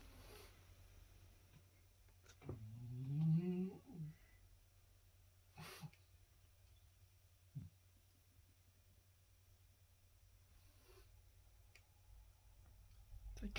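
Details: A blue 2-year-old French Bulldog in a garden gives one rough, drawn-out bark that rises and falls while chasing an intruding cat out and guarding his territory.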